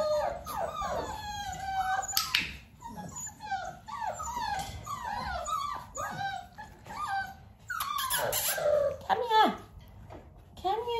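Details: Litter of Dalmatian puppies, almost six weeks old, being clicker trained alongside mother Arya; continuous chorus of thin, falling whimpers and yips from several pups, with brief sharp clicks and scuffs at about two and eight seconds.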